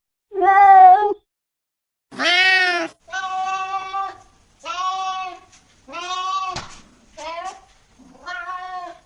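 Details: Domestic cats giving a series of seven meows of varied length, some short and clipped, others drawn out and steady, with a sharp click near the middle.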